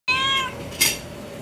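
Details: A domestic cat, described as a talking cat, gives one drawn-out, tonal meow of about half a second that bends slightly downward. A short noisy burst follows, then quiet room sound.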